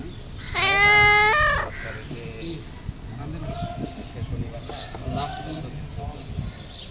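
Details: Pet cat begging its owner for food gives a single loud, rising meow near the start, followed by a quiet room with faint murmuring.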